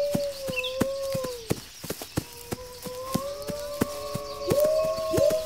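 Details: Wolves howling, a sound said to alert pack members to gather defenses against an attack: steady, low, drawn-out howls that overlap and slide upward near the end, with sharp clicking knocks throughout and a faint high chirp.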